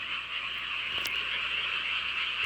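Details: Rural night frog chorus near a hometown village: steady high croaking from many frogs blended into a constant hum, with two sharp clicks heard, one midway and one at the end.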